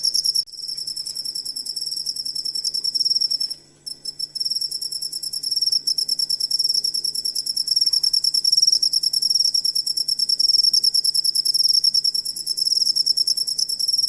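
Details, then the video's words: Cricket calling for use in songbird training: shrill high pulsed trilling that breaks off briefly before four seconds, then resumes and runs on steadily, pulses evenly spaced, with a soft low hum underneath. "Suara Jangkrik Buat Masteran Burung Kicau"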